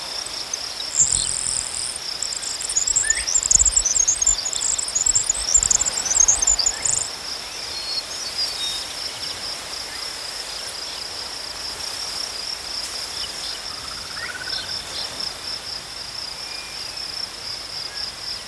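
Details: A high cricket chorus pulses steadily. A sharper, jingling high chatter sounds from about one to seven seconds, and faint bird calls drift in later.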